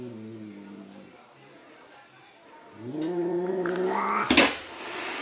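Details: Angry domestic cat fighting its own reflection in a mirror indoors: a low harmonic growl in the opening second, then a rising, drawn-out yowl building in pitch and loudness, ending in a sharp hiss-like burst.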